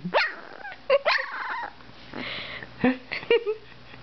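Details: Indoor recording of a two-week-old Dalmatian puppy learning to bark: short squeaky yips and brief whiny cries scattered over four seconds, some thin and catlike, with low background hum.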